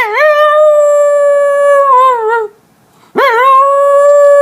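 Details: Two long, steady howls from a West Highland White Terrier, each rising sharply at the start and then holding an even pitch with a slight waver, broken by a brief silence.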